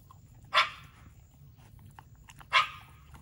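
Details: Shiba Inu dog around a steak meal, giving two short, sharp barks about two seconds apart in a quiet indoor room, with no other clear sounds.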